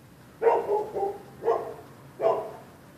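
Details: Neighbors' dogs sound off at passers-by on the sidewalk late at night, February 2, 2013: three loud, clipped barks in quick succession, the first a doubled bark, each sharp and harsh.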